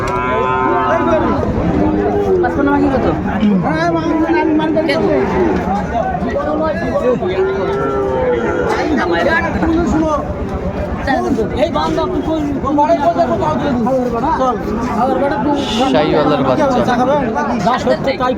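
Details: Sahiwal bull calf at a cattle market in Kurigram, Bangladesh, being bought by a farmer on 21 February 2025. A loud drawn-out moo opens, followed by busy crowd chatter and bargaining voices throughout the market.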